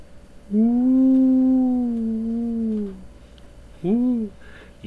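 A gray wolf gives a long, low, steady howl, then a brief rising-and-falling howl.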